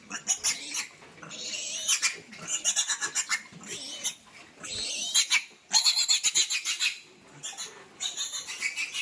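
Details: Piglets squealing loudly while being moved to fattening pens, with piercing, harsh bursts coming in pulsing runs of rapid repeated shrieks, separated by brief pauses, for about nine seconds.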